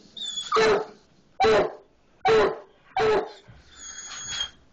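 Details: Hound barking at a skunk hidden in a barn wall, five loud harsh barks roughly once a second, each short and broad, the last one weaker and drawn out, in a quiet space.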